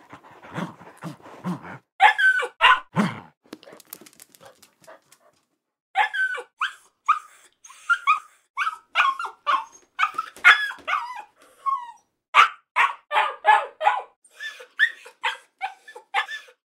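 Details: Akita puppy gives odd, yelping barks with a whining, talkative edge, in quick uneven bursts.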